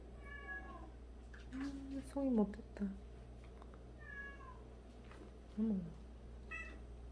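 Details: Cat among a group of 76 living together, one of which grooms the others' faces each day; three brief descending meows spaced a few seconds apart, with a woman exclaiming and chattering between them.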